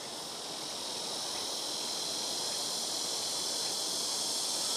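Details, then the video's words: ['Loud blackish cicadas in trees on a house rooftop, several alternating between the front, left and right trees; an unbroken shrill, hissing drone swells gradually louder over the clip.'] "시끄러운 매미우는소리"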